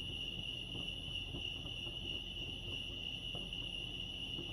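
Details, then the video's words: At Lake Arrowhead, California, crickets keep up an even, piercing trill that never breaks, set against a dull low-frequency background hum. "crickets chirping lake arrowhead"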